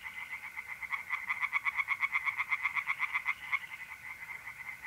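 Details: Tree frogs calling at night in April at a pond in north-east Italy, a quick train of sharp pulsed croaks about four per second swelling then fading, over a soft continuous insect trill.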